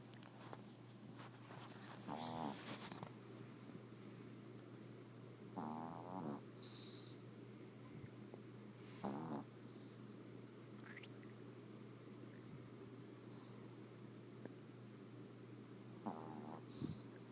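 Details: Sleeping Yorkshire Terrier snoring in bed: rough, rattling snores arrive every three to four seconds, interspersed with soft rustling and small clicks from bedding, a constant electrical hum underneath.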